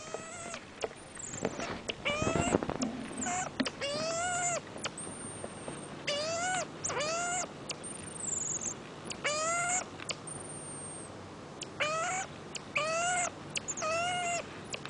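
A marmoset gives a run of short, arched, squeaky calls mixed with thin, high whistles.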